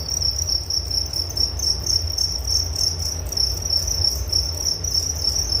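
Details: Relaxing cricket chorus for sleep, sharp high chirps pulsing evenly and continuously, a faint overtone band above, low hum beneath.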